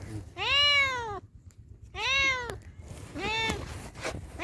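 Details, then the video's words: Cat or kitten meowing: three drawn-out, rising-then-falling meows, each about three quarters of a second long, spaced over a second apart, over a faint low rumbling background. "Cats Kittens Meowing Compilation 2021| Meowing Cats |Kittens Funny Meow Sound"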